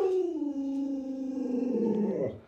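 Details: Alaskan Malamute Luoluo, a pet dog indoors, reacting as its owner pretends to stew a puppy; a sustained tonal howl sliding slowly downward, with a wavering rise and break near the end.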